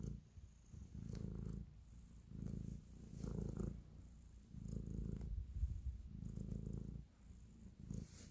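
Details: Pet cat kneading and purring affectionately indoors; deep continuous rumble rising and falling in roughly one-second swells, with brief softer pauses between breaths and faint background hiss.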